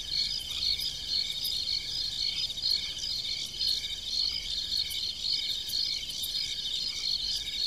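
Many crickets chirp together in a dense, high-pitched chorus of rapid pulsed trills. Fainter, lower insect buzzing runs beneath, with no other sounds standing out.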